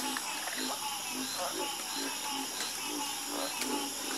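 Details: Soothing frog chorus with brief, low croaks repeated about twice a second, interleaved with faint higher clicks, under a continuous high hiss.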